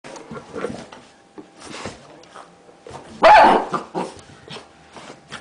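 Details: A pet Miniature Pinscher barking while dancing around indoors in a small room; one loud sharp bark stands out midway among softer yaps, scuffles and quieter vocal sounds.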